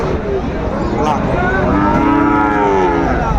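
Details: Sahiwal bull calf at a Bangladeshi cattle market on 17 March 2025, bought by a Chattogram farmer: a drawn-out, low moo with stacked harmonics that swells and bends over the final two seconds, set against steady crowd chatter.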